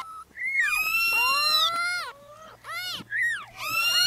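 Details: A few newborn kittens cry: one long drawn-out high mew that sweeps up then slowly down, followed by shorter arched mews in quick succession.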